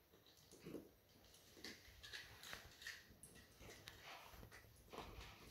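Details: Two Weimaraner puppies, 9 and 8 weeks old, play keep-away with a rattle toy, giving soft, scattered yips and whimpers mixed with scuffling noises.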